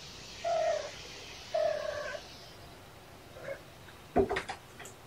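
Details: Young kitten indoors, one of sisters Champagne and Mimosa playing with springs: two short flat mews about a second apart, a softer third, then sharp clattering knocks of play at the end.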